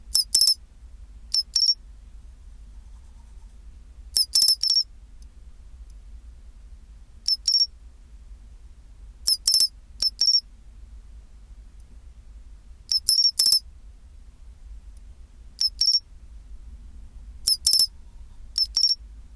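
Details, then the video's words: Pine cricket recorded at 24°C, repeating clear metallic chirps in doubles and triples about every three seconds; crisp, high and bell-like, with near silence between phrases. "チンチロリン Sound of pine cricket"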